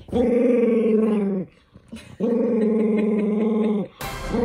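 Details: Toy poodle Minato, furious at being fitted with socks indoors, gives two long, steady, rumbling growls back to back, then a brief burst of noise and the start of another growl.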